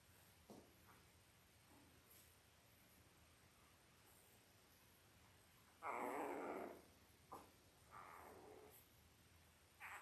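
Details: Five-day-old Labrador Retriever puppies from a litter of eight, five males and three females, born October 15, 2023 to a mother named Belle, give brief squeaky whimpers and a louder wavering cry amid soft background rustling indoors.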